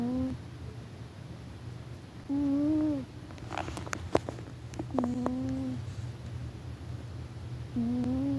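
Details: Domestic cat sleeping loudly indoors, snoring in drawn-out tonal breaths of about a second each, three spaced snores with a faint steady hum beneath and a few soft clicks between.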